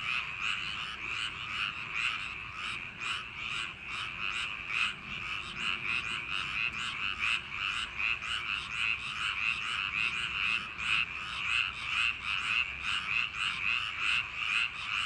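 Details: Paddy-field frogs on a summer night croak together in a loud, continuous chorus, rapid pulsing notes repeating around twice a second over a constant high hum.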